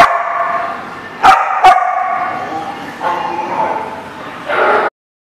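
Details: Dog barking recorded on 9/10/18: long, sustained tonal barks with a howl-like quality, interrupted by two sharp loud snaps near the start-middle, then further drawn-out barking ending abruptly.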